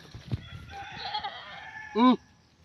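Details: Playful, mischievous goat gives one short, loud, harmonic bleat with a slight waver near the end, following a long rooster crow in the background; people talk nearby.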